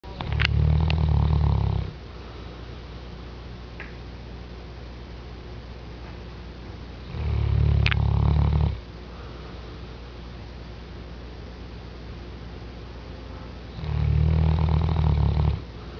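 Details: A newly adopted rescue Mastiff snores while sleeping. Three long, deep, rumbling snores of about two seconds each are heard. They come roughly every six seconds, with quiet breathing in the gaps.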